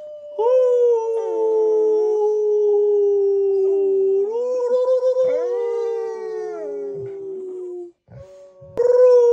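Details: A 14-week-old female Rottweiler puppy gives her first tiny howls in long, slowly falling tones, joined by her doggy brother's deeper howl as the family helps her find her voice.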